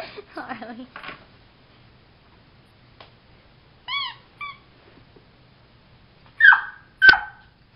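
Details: Puppy Harley, stuck under a bed while the household slept, gives two high, whining whimpers, then two sharp, yelping barks in a small room. A person's cooing speech and laughter come first.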